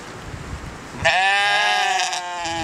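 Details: A goat yells with a loud, harsh, human-like bleat that breaks in abruptly after a second of quiet background noise and holds, rich and nasal, for over a second before easing off.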